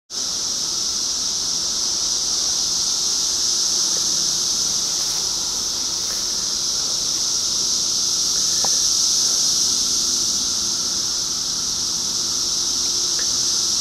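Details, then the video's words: Cicadas recorded in 2013, massed into one dense, unbroken high-pitched hiss that holds steady and swells gently in loudness, with a few faint clicks underneath. "2013 Cicadas"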